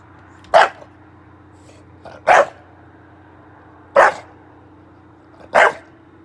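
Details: English Bulldog barking indoors: four short, loud, harsh barks spaced about one and a half seconds apart, each a broad burst, with a steady low hum underneath.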